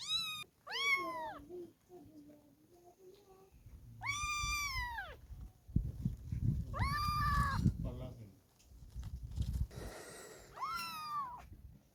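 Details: Several kittens meowing in turn: high, clear meows that bend up and then fall, each about half a second long, spaced a few seconds apart, with low rustling handling noise between them.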